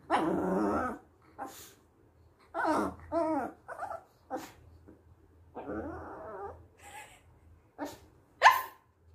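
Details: Chihuahua said to have forgotten how to bark: a long throaty growl opens, then wavering growly yips and grumbles in short bursts, ending with one sharp higher bark.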